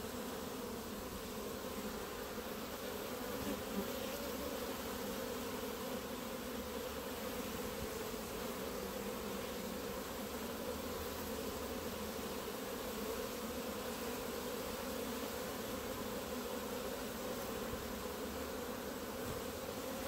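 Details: Many honey bees massed on the grass in front of the hives produce a constant, thick drone that holds steady throughout, with a few faint ticks early on.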